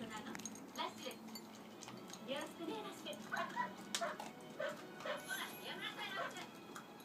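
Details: A two-year-old white Shiba Inu, Naotaro, gives short, high whines and yips at mealtime, with a person talking nearby.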